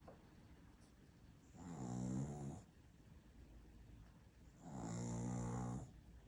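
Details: Maltese-Shih Tzu cross dog snoring indoors, two long rasping snores with a buzzy, harmonic-rich tone and a hiss on top, separated by a quiet pause of about three seconds.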